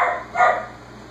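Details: Whippet named Jaxson barking in the background at home after dinner, telling its owner it has finished eating while six-week-old Basenji puppies play; two short, hoarse barks close together, then quiet room hum.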